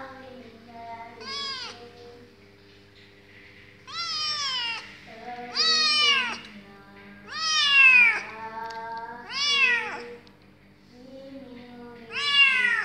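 A kitten gives high, arching meows, each rising then falling, repeated every couple of seconds.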